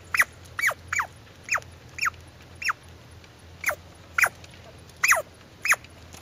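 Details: Squirrel uttering around a dozen quick, shrill squeaks that swoop downward, spaced unevenly at about two per second, some doubled, over a soft constant hum.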